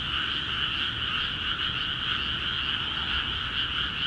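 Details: Paddy frogs in Akiha Ward, calling hard after water entered the rice fields; a thick, continuous mass of pulsing croaks, many voices blending together without pause.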